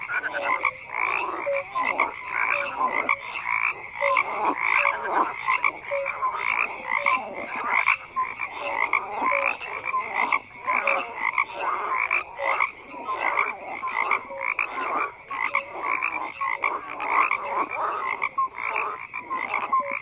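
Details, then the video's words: A steady wall of frog croaks: many callers overlapping in quick, rhythmic pulsed bursts, with short tonal notes recurring throughout. "FROGS CROAKING"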